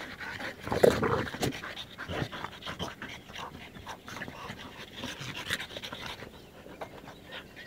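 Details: Dog panting in rapid, uneven breaths, roughly three per second, soft and breathy across a wide range, with some handling or movement noise in the first two seconds.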